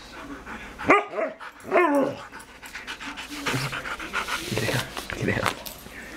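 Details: Bella, a dog keen to play with Sid, lets out two quick, sharp yelps about a second apart, followed by human talking and soft rustling.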